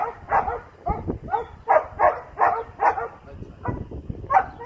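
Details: Young Doberman named Asmar, working at heel with a 14-year-old girl, lets out rapid, uneven barks in steady bursts, a few softer yips between the louder ones.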